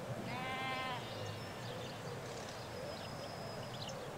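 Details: Sheep, ewes with their lambs, in a Hampshire countryside field in England: one strong, quavering bleat near the start, then quiet with thin high bird notes and a constant low hum of a distant road.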